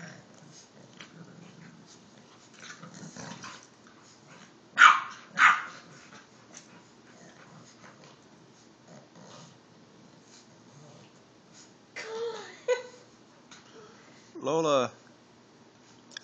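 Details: Two bulldogs, an Olde English Bulldogge and an English Bulldog puppy named Lola and Rico, fight playfully over a stuffed bear; soft growling, two sharp barks, then drawn-out whining yelps, with a person's voice in the room.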